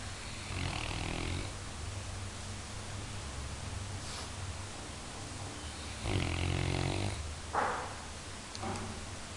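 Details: Sleeping Labrador Retriever, teased as a great guard dog, gives soft breathy snores: a faint one at the start, then a stronger rough snore near six seconds, with small clicks and shuffles between.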